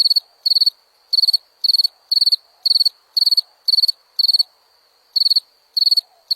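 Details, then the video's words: Cricket chirping in short bursts of about four rapid pulses each, high and ringing, roughly two bursts per second with occasional brief pauses; a faint steady high tone continues between bursts, otherwise quiet background. "Som de grilo"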